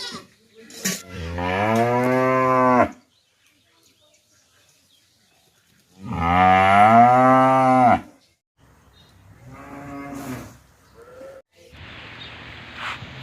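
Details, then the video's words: Cow mooing, from a compilation of real farm sounds: two long, loud, rich moos of about two seconds each, separated by silence, followed by a fainter, shorter moo and some rustling noise. "The Disturbing Sounds of Unhinged Goats and Cows"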